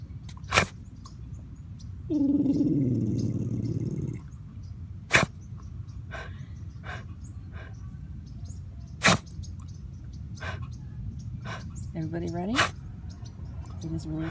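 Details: Bichon Frise named Truman growling fiercely while watching something: one sustained low rumbling growl of about two seconds, set among sharp isolated clicks and a few short squeaky sounds.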